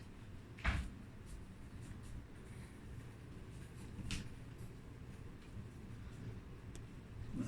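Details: Low room hum with a couple of soft thumps and knocks, as from a box or cupboard.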